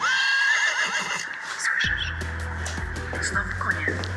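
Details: In the Barycz Valley, a horse gives a wavering, high whinny lasting about a second, then a person's speech and a low steady hum take over.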